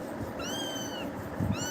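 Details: A kitten frightened by Tiger's actions lets out one drawn-out, slightly falling meow, followed by the start of another, while low murmuring continues in the background.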